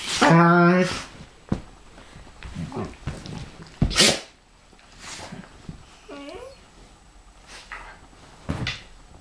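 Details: Dog vocalizing indoors as a Pharaoh Hound and a Ridgeback tussle, described as being attacked by Chewbacca: a loud, strained, harmonic growling whine lasting about a second, then scattered snorts, thumps and a short squeaky note.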